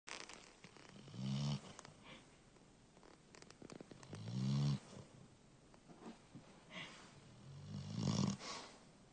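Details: One-year-old black Labrador Retriever named Thoryn, asleep and snoring: three low, rumbling snores at roughly three-second intervals, each a rough buzzing breath with faint higher hiss, quiet pauses between.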